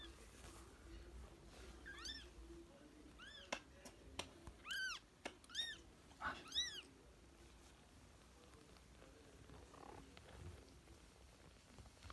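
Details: ['British and Scottish kittens at play indoors give a series of thin, high, arching meows, six or seven in quick succession, over a low background hum and faint rustling.']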